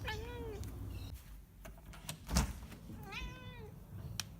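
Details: Domestic cat making unusual meows: two short, quiet, rising-then-falling meows about three seconds apart, with a faint background hum and a soft knock between them.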